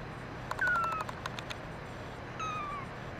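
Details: Brown mackerel tabby kitten, a male, crying with two thin, high meows, each sliding gently downward, over soft clicking and a low steady hum.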